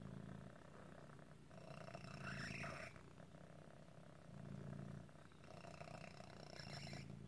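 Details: Otis, a pet cat with a deformity that sometimes makes breathing hard, like asthma, purring in a low, steady rumble that swells with each breath, with squeaky, wheezy rising notes during the louder inhalations.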